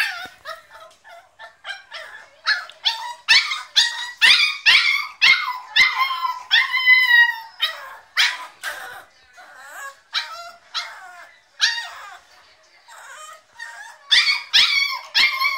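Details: Diablo, a Staffordshire Bull Terrier puppy shut in his crate, screams to be let out: rapid bursts of shrill, harmonic yelps and drawn-out wails, about two a second, swelling and fading in irregular bouts.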